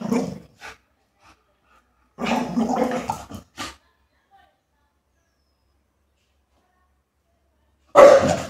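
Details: Female Rottweiler puppy 'talking' because she wants to go outside: short throaty grumbling bursts near the start, a longer gargling run around two to three seconds, quiet, then a final sharp vocal burst.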